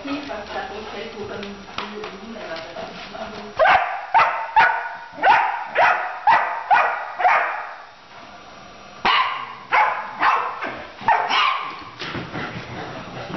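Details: Fizzy, a Labrador puppy, at play with senior Coton de Tuléar Tschappi: a run of loud, regular barks about twice per second, pausing briefly and resuming, with faint speech at the start.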